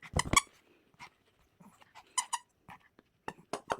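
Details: Pomeranian playing at home indoors, giving short high whiny yelps in a quick burst at the start, then scattered thin whimpers and squeaks with quiet gaps in a small room.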